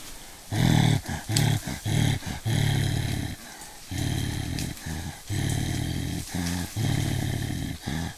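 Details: Mountain gorillas in Volcanoes National Park, Rwanda: deep, rough grunting bursts about half a second long, repeated in uneven runs with short gaps between them.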